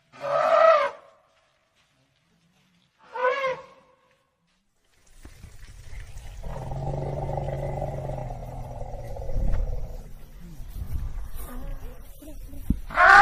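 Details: African elephant letting out two short, sharp trumpet blasts a few seconds apart, followed by a long, deep rumbling roar with a grinding tone, then a final loud trumpet burst.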